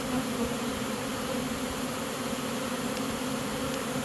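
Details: A captured honey bee swarm moves into its new home together, giving an unbroken, even droning buzz, rich and low, with faint ticks near the end.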